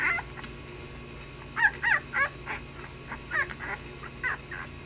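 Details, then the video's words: Playing puppies let out quick squeaky yelps and short whiny cries, about three or four a second in uneven runs, over a constant low background hum. "Puppies playing"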